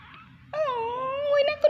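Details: Little kitten giving a single drawn-out meow, a high harmonic wail that dips then holds steady for about a second before a sharp rise at the end, with soft background chatter before it.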